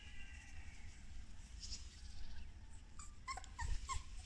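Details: A litter of young solid-golden English Cocker Spaniel puppies, recorded 9 February 2020, gives short, thin squeaks and whimpers over a low, rumbling background.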